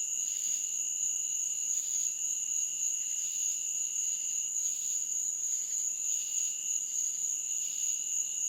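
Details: Insects calling in a meadow at night, a continuous high, thin ringing and a lower sustained tone, broken by soft grating pulses repeating roughly every second, otherwise quiet.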